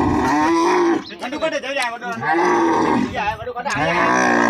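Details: Camels at a livestock market in Islamkot, Tharparkar, being loaded into a truck. Wavering, harmonic moaning groans rise and fall over several seconds, with a voice briefly heard among them.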